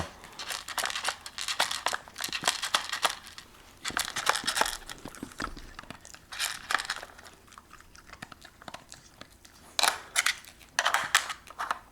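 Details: Crinkling, tearing and rustling of a toy indoors in short bursts, no animal call heard.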